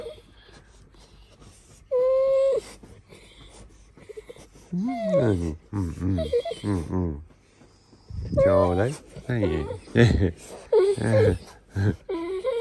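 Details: Golden Retriever "talking" in the morning: one clear sustained whine, then a quick series of throaty, swooping yodel-like grumbles that bend down in pitch, a short pause, and more choppy grumbling vocal bursts.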